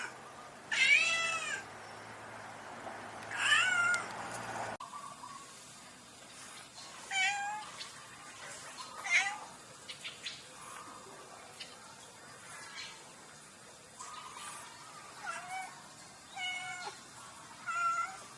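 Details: Domestic cats in a funny meowing compilation: two loud wavering meows, then a cut to a series of shorter, thinner meows of varied pitch, some rising and others falling, scattered irregularly through the rest.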